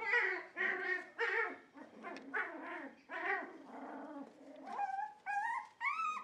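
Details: Dog at a Shiba Inu and Samoyed breeder in the Netherlands, 4 November 2018, giving hoarse, rough-edged whining barks about twice a second, shifting into clearer, high-pitched yelps in the final seconds.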